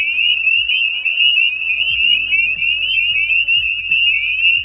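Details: Spring peeper (Pseudacris crucifer), chorus call.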